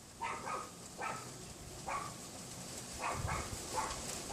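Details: Unseen Pomeranian next door barking behind a wooden fence on a windy February afternoon in 2015, mid-afternoon: quick high yaps, several in rapid pairs, over constant rushing wind noise, recorded from indoors by a bedroom window.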